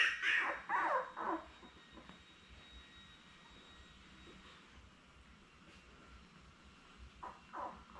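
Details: A litter of seven Labrador Retriever pups, born May 24, 2021, on a puppy cam with mother Belle after nursing; a cluster of high, wavering squeals opens, then quiet, then two more short cries near the end.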